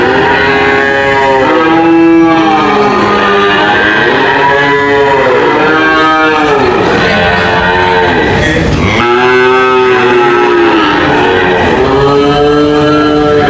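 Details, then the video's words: Several cows moo at once, their long harmonic calls rising and falling in arches. One lowing bellow dips sharply near the end before fresh moos take over. The sound stays loud and crowded throughout. "cow mooing sound"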